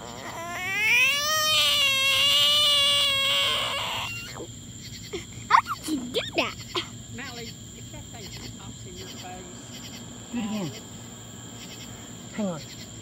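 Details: A mad frog from Texas, stirred up by an excited five-year-old, lets out a long harmonic wailing scream for several seconds, then a child's and adult's voices follow with scattered short cries.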